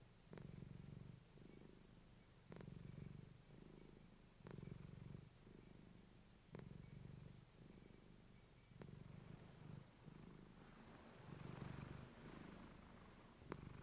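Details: Clementine, a female pet cat, purring close to a fluffy microphone indoors: low rumbling purr in steady breaths, each phase lasting about a second, with faint sharp clicks scattered throughout.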